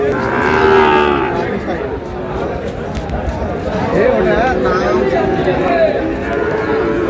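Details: Lowing of Sahiwal cattle among bull calves for sale at a Noakhali cattle market on 8 May: a loud sustained moo opens, then further bellowing tones follow over busy market chatter and voices bargaining.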